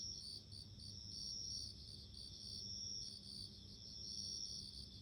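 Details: Bell cricket calling outdoors. High, glassy chirps pulse steadily above a continuous thin ringing tone, with a quiet low hum beneath.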